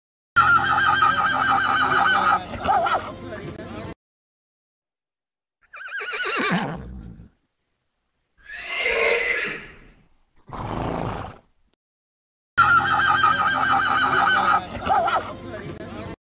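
A zorse gives loud, shrill whinnies broken by breathy, falling neighs and snorts.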